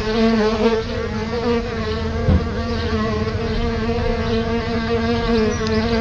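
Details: Continuous low hum of solitary bees flying at their nest beside a house's front door, a steady buzzing drone with stacked overtones, slightly wavering in pitch, with a brief tap partway through.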